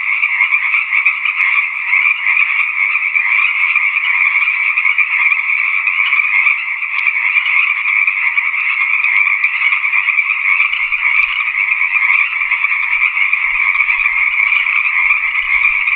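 A dense, steady frog chorus, a continuous high trilling buzz with no pauses throughout.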